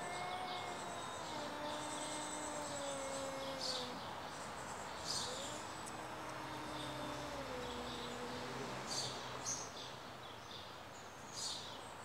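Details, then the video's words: Two stray cats argue with each other: low, moaning yowls that bend and waver, trading back and forth in long phrases, while a dense chorus of high chirps runs behind them. "Two cats arguing with each other"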